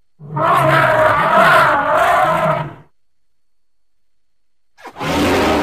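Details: Elephant letting out a long, harsh, broadband roar of about two and a half seconds. After a short silence a second blast begins abruptly and holds steady to the end.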